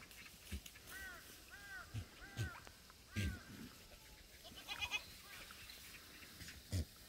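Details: Black goats at a free-range farm on the slopes of Muchuksan, Sangdong-myeon, Gimhae, South Korea, on a clear Friday in the farm yard; several short arched bleats in a row, then thumps and rustling from the animals moving about.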